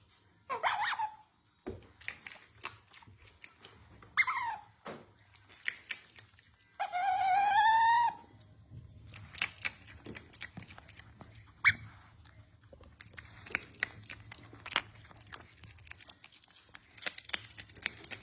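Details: Pet otter Usomaru squeaking while asking for his treats indoors: high squeals near 0.5 and 4.5 seconds, then a long, loud, rising squeal with a harmonic stack around 7 to 8 seconds, followed by quiet clicks and rustling.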